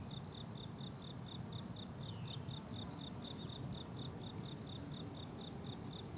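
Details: Summer meadow crickets trilling in bursts, each chirp a sharp high pulse group repeated rapidly and evenly, several insects overlapping, with gentle low-frequency outdoor hum beneath.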